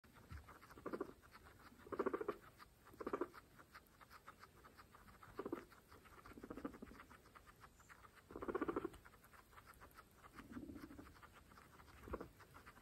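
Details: Pregnant female guinea pigs from a group of 26 eat fresh grass; soft crunchy chewing patters throughout, with brief low murmuring calls roughly every one to two seconds.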